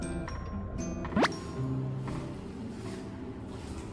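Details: Soft background music plays with a brief rising sliding tone and faint dripping, squishy sounds, and no animal voice.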